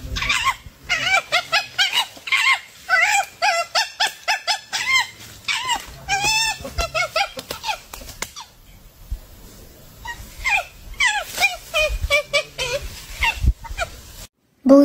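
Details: Monkey screaming in rapid, shrill, rising-and-falling squeals, many high yelps in quick runs with brief quieter gaps, continuing for about fourteen seconds.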